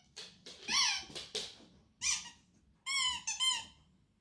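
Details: Female pet dog indoors, excited after hearing a squeaky toy. She gives short high whines and yelps with bending pitch, several in quick bursts, then two clear whines close together near the end.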